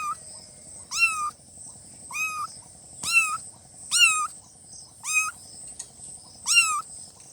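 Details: Newborn kittens meowing: six high, rising-then-falling, slightly nasal meows spaced about a second apart, over a steady faint high-pitched hiss.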